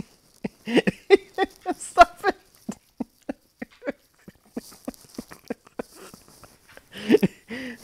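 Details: Domestic English Setter grumbling and 'talking' in quick uneven bursts of short moaning notes, some bending upward into whiny yelps near the end, with breathy pauses between and a person's voice close by.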